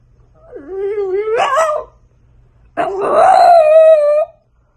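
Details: French Bulldog puppy howling indoors: two drawn-out, harmonic-rich wails, the first dipping then rising in a wavering arc, the second louder and held steady for over a second.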